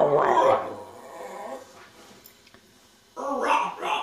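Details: Meeko, a pet whippet, 'talking' while asking for breakfast: two short harmonic vocal bursts, one at the start and one near the end, with a quiet pause between them.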